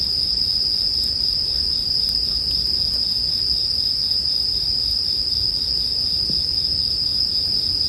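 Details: Bell crickets in sleep background audio paired with a campfire. A continuous, steady, high-pitched ringing drone holds throughout, with faint scattered crackles of burning wood beneath.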